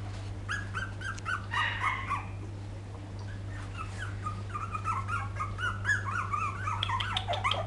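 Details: Several poodle puppies in 2012 whine together, short rising and falling squeaks overlapping in a continuous chorus with brief pauses, while a constant low hum runs underneath.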